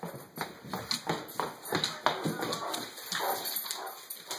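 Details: Harbor, a female Great Dane, playing with her Bumi toy during her nightly zoomies: short gruff woofs and huffs come in quick irregular bursts indoors while a person talks and calls her.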